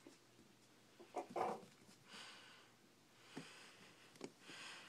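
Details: Four-week-old Shih Tzu puppies eating and playing indoors, one wanting to fight; a short rough growly burst near the start, then faint snuffles, small clicks and soft scrabbling through the rest.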